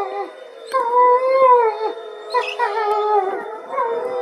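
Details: Gray wolves howl together in overlapping chorus, long sliding tones rising and falling; male Motomo howls in protest as his mate Mai is taken for a walk and the other wolves join in, 20 September 2020.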